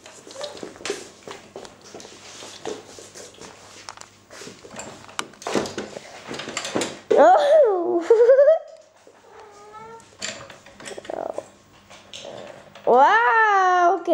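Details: Romeo, a tom cat, gives two long wavering meows that rise and then fall, one in the middle and one at the end, after stretches of Italian talk and handling noises.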